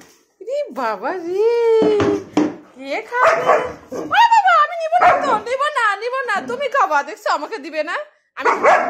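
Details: German Shepherd making a noisy 'concert' of vocal sounds over its food indoors: drawn-out whining, yodel-like howls that rise and fall in pitch, broken by short bark-like bursts, with human voices talking over it.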